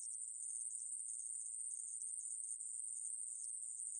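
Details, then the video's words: Short stretch of a coneheaded katydid (애매부리) singing, 2020 recording: an even, sizzling, very high-pitched buzz without breaks, nothing else audible. "애매부리, 여러번 듣기, 곤충소리"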